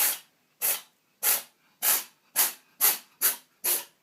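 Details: Kitty Dot, a female pet cat with a sneezing problem, sneezing in the tub: eight sharp, hissing bursts, roughly one every half second, each a breathy blast with near silence between.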